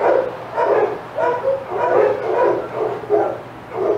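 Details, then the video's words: Excited senior dogs at Old Friends Senior Dog Sanctuary barking as Titus goes by the outdoor yard; a handful of separate, fairly deep barks spaced about half a second apart, with a low hum. "Dogs Go Crazy as Titus Passes"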